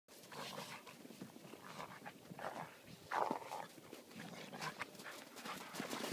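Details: German Wirehaired Pointer in winter breathing in quick, rough bursts, with one short, higher bark about halfway through; faint outdoor rustle underneath.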